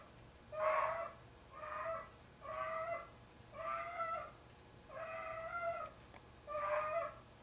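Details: Indoors, Tigger the 25-pound house cat wails as he brings his sock kitten to bed, six sustained yowling meows with rich overtones, steady and level in pitch, spaced about a second apart in a quiet room.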